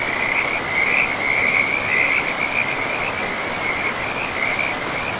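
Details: Frogs calling beside a river in a pristine forest with moss-covered ground: a steady high-pitched trilling chorus that swells and fades in short pulses, running without pause over the constant rush of flowing water.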